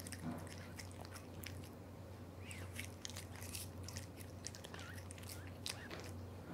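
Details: Male Devon Rex cat Aura, born July 2021, chews unseasoned dry fish made for pets, indoors: soft wet crunches and mouth clicks, with a constant low background hum.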